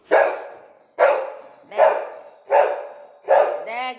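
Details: Indoor pet Labrador Retriever barking five times in a steady run, about one bark every 0.75 seconds, with a woman's Bengali voice calling another dog in the house; a brief whine or voice trails the last bark.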